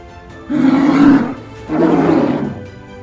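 A polar bear gives two deep, rough roars, each about a second long and close together, with faint music underneath.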